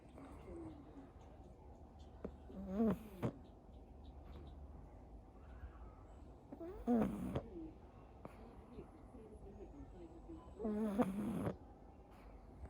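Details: Pug named Anko snoring through the day, whether dozing or awake; three rasping, buzzy snore bursts with a nasal whine, roughly every four seconds, separated by quiet room hush.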